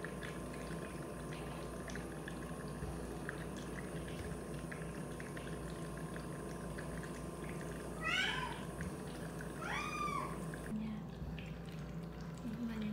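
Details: Indoor cat during a nebulizer treatment, with other cats getting in the way. Two short, rising-falling meows about one and a half seconds apart come late, over a steady hiss and room noise.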